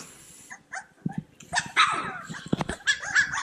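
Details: Cane Corso puppies at play give short scattered yips and squeaky whimpers amid rustling and scuffling, growing busier and louder in the second half, with a person's laughter just before.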